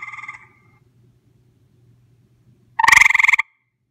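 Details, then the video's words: Gray treefrog visiting, recorded at close range: the tail of a quieter pulsed trill fades out, a pause follows with a soft hum, then a loud rattling trill of rapid pulses lasts just over half a second. "grey tree frog call"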